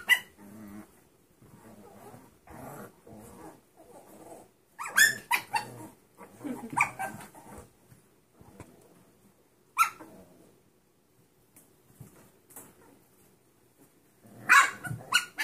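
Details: Six-week-old mixed-breed puppies from a new litter, a Dachshund, Chihuahua and Pug mix. Soft low growling and grumbling murmur on and off, broken by sharp high yelping barks in short bursts near the middle, again later, and at the end.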